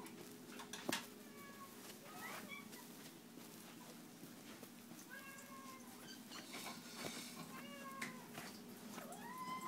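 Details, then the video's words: Domestic cats meowing indoors at feeding time, a series of rising-then-falling meows repeated every second or two over a steady room hum, with a sharp knock and a person's voice calling the cats nearby. "The Cats Meow"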